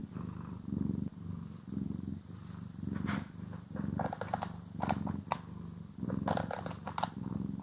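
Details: Pet cat purring as it is brushed and groomed, stereo recording: rhythmic low purr swelling with each breath, overlaid by frequent crisp scratching brush strokes in quick bursts.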